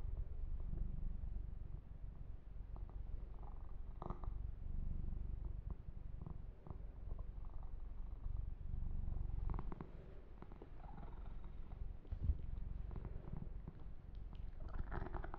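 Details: Yumak, a young pet cat, purrs contentedly during a massage: a smooth, very low continuous rumble, with light scratchy handling sounds around four seconds and from about nine and a half seconds on.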